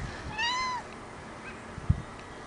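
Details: Ragdoll kitten outdoors, one of two young males, a seal mitted Ragdoll with a blaze aged seven months and a blue lynx mitted Ragdoll aged six months, recorded 16 March 2010; a single clear rising-then-falling meow with harmonics, soft background noise and a faint thump.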